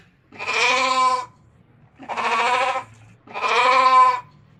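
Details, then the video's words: Ram, a male domestic sheep, giving three long, harsh, quavering bleats of about a second each, separated by short pauses, with rich layered harmonics; quiet low hum between calls. "RAM SOUND - RAM SOUND EFFECT - SOUND OF RAM - SHEEP MALE SOUND"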